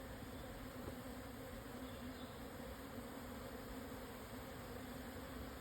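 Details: Swarming Japanese honey bees moving house on 17 June 2024 at 12:50, Yatsugatake southern foothills, Hokuto, Yamanashi, 1054 m elevation. Dense, even, continuous drone of many wings, unbroken throughout.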